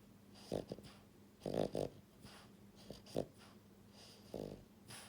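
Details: Sleeping pied French Bulldog Buhiko, a female pet born January 2022, gives a run of raspy snores: paired and triple throaty rattles separated by brief pauses, five clusters in quick succession.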